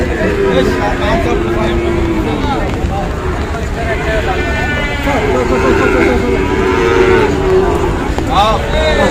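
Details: Sahiwal cattle, young bulls about five months old, at a cattle market in Manikganj, Bangladesh, on the second day of Eid in the rain. Drawn-out mooing calls rise and fall under constant men's talk and bargaining, with vehicle noise behind.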